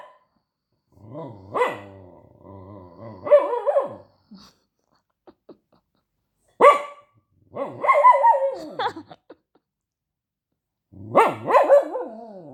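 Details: Dog barking and protesting: bursts of barks mixed with low grumbling growls and wavering yowls, separated by silent gaps, several bouts across twelve seconds.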